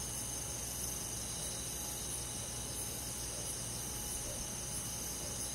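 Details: Countryside crickets chirping through a summer night among forest insects: many overlapping high-pitched trills merge into a steady shimmer, faintly pulsing several times a second, with a quiet humming drone below.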